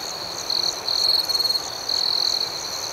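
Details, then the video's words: Crickets at night, a high, bright trill pulsing in bursts of under a second, with a steady shrill hum of more crickets beneath and a faint beating chorus higher up. "Soothing Cricket Sounds"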